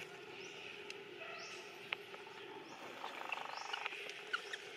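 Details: In their natural habitat around Angkor Wat, the monkey Eden is trained by Grandma Elsa and lets out short cries. Faint rising squeaks come first, then a brief harsh harmonic burst, set against a continuous insect drone.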